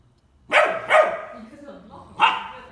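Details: Ten-week-old Bernese Mountain Dog puppy meeting a ten-month-old baby for the first time. Two quick high yelping barks come close together, then a faint lower sound and one more bark, each falling away quickly.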